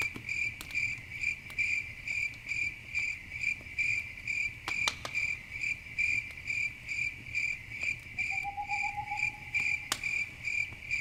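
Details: Nighttime crickets beside a campfire: regular shrill chirping pulses merge toward a near-continuous trill later on, a lower sustained buzz enters briefly near the end, and the fire crackles and snaps intermittently.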